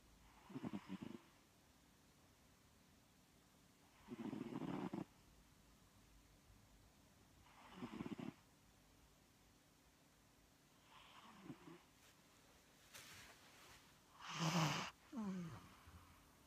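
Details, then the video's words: Peggle, a cat napping at midday, snores in regular rasping breaths every three to four seconds, later turning uneven with snorting, shifting sounds and a sharper louder burst near the end. "sleeping beauty snoring again"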